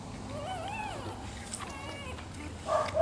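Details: Rottweiler puppies nursing from their black mother, kept indoors; thin rising and falling whines and squeaks repeat in quick succession, with faint background music.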